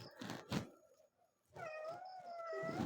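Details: Talking cat giving a long, steady meow that holds an even pitch for more than a second, after soft rustling and handling noises at the start.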